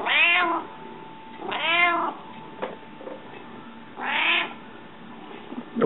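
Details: Hungry domestic cat meowing indoors, three loud drawn-out meows with rising then falling harmonics, spaced about two seconds apart, with a steady faint electrical hum and a few soft knocks between calls.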